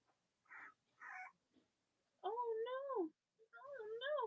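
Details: Cavalier King Charles Spaniel puppies from Robin and Myra's litters, indoors in the US on a chilly Monday morning near Halloween: two long wavering whines that rise and fall, following brief soft voices.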